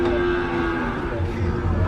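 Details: Cattle being unloaded from a truck as the farmer opens the gate; a drawn-out low moo with a steady tone, over vehicle rumble and background noise.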